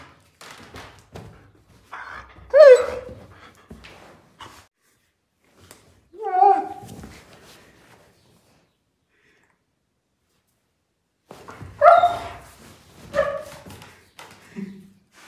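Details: Sophie, a German Shepherd, reacting to nose boops indoors: short bursts of whining, grumbling barks spaced several seconds apart, with a long quiet gap midway and faint handling noises between calls.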